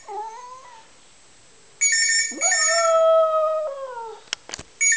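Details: Dog howling: a long, steady, slightly wavering tone rises and then slowly falls over about two seconds, with a shorter howl before it. Repeated electronic telephone-like ringing sounds throughout.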